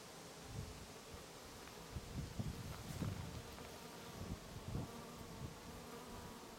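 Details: Bees foraging among lavender in a Breton garden; a steady buzzing drone sits under repeated soft low thumps and wind-like rustling, the hum unbroken from start to finish.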